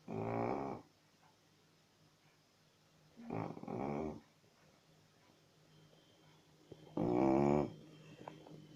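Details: Chow Chow. A Chow Chow snores with low, rattling breaths, each rough burst lasting under a second. The snores come at a slow, steady rhythm in a quiet room, with soft breathing between them.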